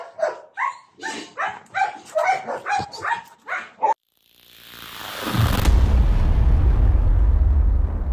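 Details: Belgian Malinois puppy during heeling practice with food luring and teaching the out command; roughly nine short, sharp, harmonic yips or barks in quick succession over four seconds, then a brief silence and a swelling, steady roar of broadband noise.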